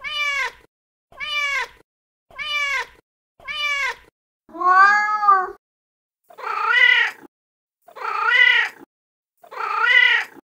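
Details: Angry cat voice meant to frighten rodents: four quick, clipped meows in a row, then a louder, lower drawn-out wail, followed by three strained, harsh meows. Quiet background throughout.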